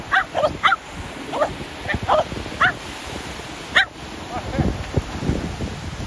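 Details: Shetland Sheepdogs playing ball at the sea, barking in short sharp bursts, about a dozen barks spread unevenly, with low rumbling wind and surf noise underneath.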